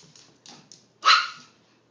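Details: Peekapoo, a Pekingese and Poodle cross dog, gives a single sharp, bright bark about one second in, after a few faint soft rustling sounds.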